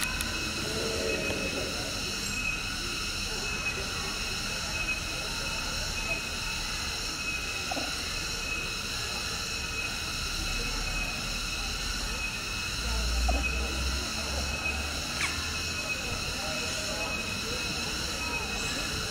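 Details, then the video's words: Cicadas droning in a protected conservation forest of a tourist park, home to long-tailed macaques. A continuous piercing buzz with layered ringing tones runs unbroken, with a brief low rumble near the end and faint scattered knocks. "suara tonggeret"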